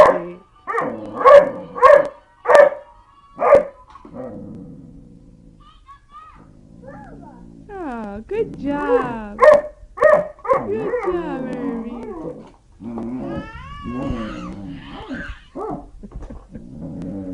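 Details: A Doberman puppy in a family home "sings" along to a toy that plays music: a run of short, high yips, then a wobbly, sliding howl that rises and falls, while a person talks and praises.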